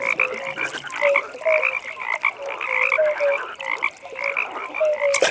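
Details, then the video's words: Many frogs calling together at a pond at night, gentle croaks overlapping into a steady chorus of short mid-pitched notes over a higher trilling band, ending with a brief sharp click. "15 Minutes Frog Pond"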